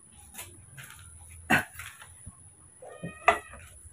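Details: Newborn baby monkey, cared for at home and fed milk every two hours, gives two short, sharp squeals with a bright ringing tone, spaced almost two seconds apart, between softer murmurs and a faint steady high whine.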